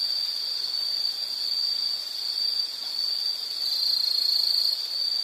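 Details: An insect trills steadily on one high, thin pitch, a constant buzzy ringing with gentle swells in loudness and no other distinct sounds.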